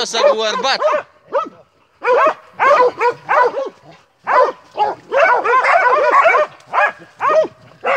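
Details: Montenegrin Mountain Hounds from kennel 'Sutorman' during a hunt: clusters of sharp, ringing barks from several dogs, separated by short silences, with a man calling out at the start.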